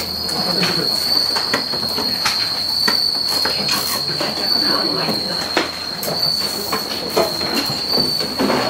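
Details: Massed Suzumushi, or bell crickets, kept at Bando no Oka in Naruto and being boxed for shipment at peak season. A continuous shrill, bell-like trill holds a constant pitch, broken by sharp knocks and scraping from handling.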